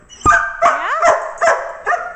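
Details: Male working dog in his crate after a long play session, wanting out to play more: five sharp yelping whines, some with rising, wavering tonal slides, bursting roughly every half second.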